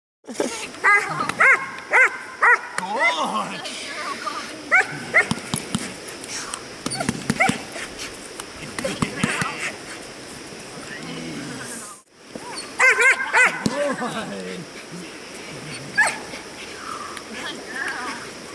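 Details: Six-month-old German Shepherd in protection training with a helper; bursts of rapid, high barks in clusters, separated by a man's shouted commands and talk, with brief pauses and scuffling between.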